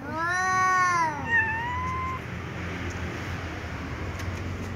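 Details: Two cats, a tom and a ginger, calling loudly at each other ahead of eating together: one arched, drawn meow followed by a shorter rising one, then only a steady hiss of background noise.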